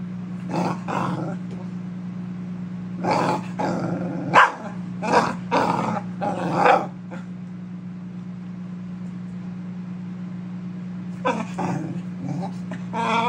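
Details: Keeshond throwing a temper tantrum: clusters of harsh growling barks and yips, a loud flurry early on, a long pause, then renewed grumbling barks, over a constant low household hum.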